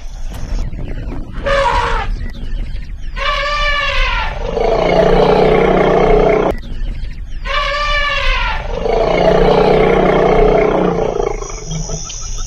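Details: Elephant bathing in a canal: two loud, harsh roaring calls with rich layered overtones, each lasting over a second and about four seconds apart, each trailing into a lower, steady droning tone, over constant background noise.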